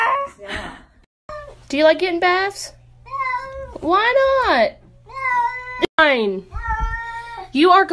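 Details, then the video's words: Domestic cats in a compilation of 'talking' cats, several long drawn-out meows with rich harmonics, rising then falling, some sounding almost word-like, alternating with human speech and a steady low hum indoors. "Cats talking !! Some cats talk better than humans"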